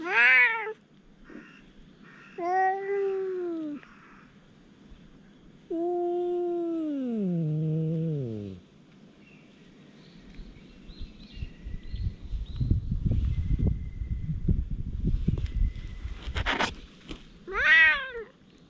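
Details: Stray community cats in a verbal fight after a second cat turns up near Dufy, filmed with a GoPro HERO8. Short meows give way to a long, wavering, descending yowl. A stretch of rustling and thumping noise follows, then a final meow.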